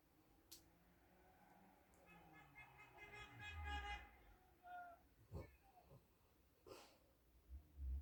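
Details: Female Alaskan Malamute asleep in bed making noises, soft whimpering tonal murmurs around two to four seconds, followed by low snuffles and a few sharp clicks or thumps.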